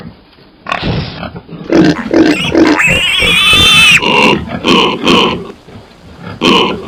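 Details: Pig squealing with a sustained high harmonic cry, then a run of rhythmic nasal grunts repeated about every half second.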